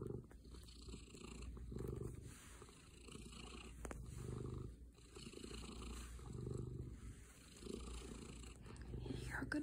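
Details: Pet cat Gaster, a male, purring in cuddle mode; low rhythmic rumbling rises and falls with his breathing at about two-second intervals, softer and quieter stretches, with a brief soft human voice nearby.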